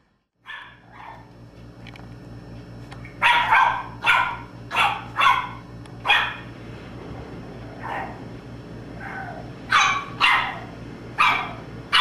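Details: {'caption': 'Boston Terrier puppy named Domino barking in short bursts, around a dozen yappy barks over twelve seconds, some in quick pairs, with a low indoor hum underneath.'}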